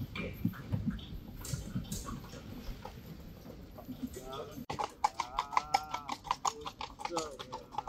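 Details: Friesian horse on a farm giving a wavering, tremulous whinny in the second half, its voice shaking up and down over a steady pitch, overlaid by quick sharp hoof clip-clops; low murmuring voices earlier.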